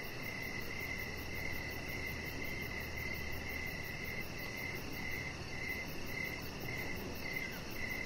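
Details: Evening crickets near a deck lit with decoration lights, a Chihuahua puppy resting there. Shrill chirps repeat at an even pace, roughly two per second, with a steady low hum running underneath and a thin constant high tone.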